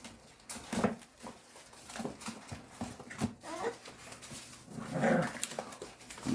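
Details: American Bully puppies at play indoors in Oklahoma, scattered thumps and scuffles, a short whimpering whine near the end, faint human voice in the background.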